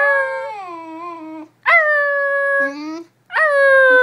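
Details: Basenji dog yodelling: three long, rich, harmonic howling notes, the first sliding downward, the others held steady then dropping at the end, separated by brief silent gaps.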